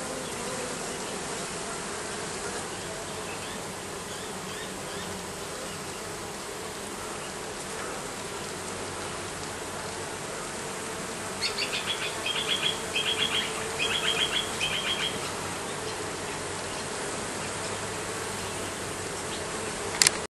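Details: Bees under roofing keep up a steady buzzing drone; midway a short burst of higher chirping or squeaking sounds over the hum, and a sharp knock comes at the very end.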